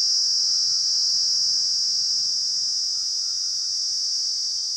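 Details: Kaempfer cicada, known as nii nii, in the wild, singing a loud, steady, high-pitched continuous drone with a fast pulsing texture, unbroken throughout.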